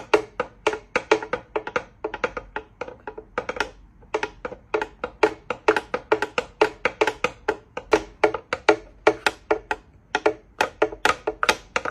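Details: Rhythmic percussive music with wood-block-like knocks repeating at a steady quick pace, played indoors in a small room; no animal voice stands out.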